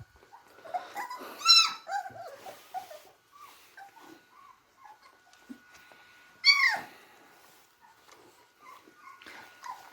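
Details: Beagle puppies about three and a half weeks old playing indoors, giving scattered high whimpers and squeaky yelps, with two louder squeals standing out amid quieter shuffling.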